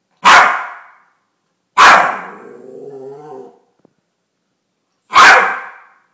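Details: Chihuahua acting tough, a male dog billed as a tough guy, giving three sharp loud barks about every one and a half to three seconds, the second followed by a drawn-out low growl.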